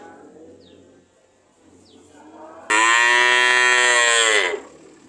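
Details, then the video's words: ['Single cow moo, long, loud and strongly harmonic, lasting nearly two seconds, preceded by quiet background hum and two faint, brief high chirps.'] "Sound of cow"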